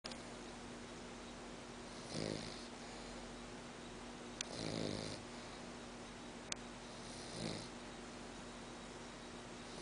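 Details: Beyah, a female French Bulldog, snoring indoors, sometimes loud enough to hear from the next room; three rough, nasal snores about two and a half seconds apart over a steady low electrical hum, with two sharp clicks between them.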